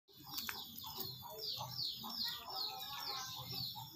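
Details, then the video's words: Pet otter calling while being fed: a quick run of high, downward-sliding chirps, about two or three per second, with softer lower squeaks beneath and faint background rustle. "カワウソに餌をやるときWhen feeding Otter"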